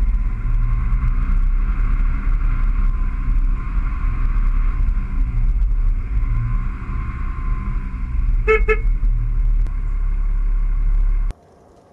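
A steady vehicle engine rumble with a brief horn toot, and no animal sound.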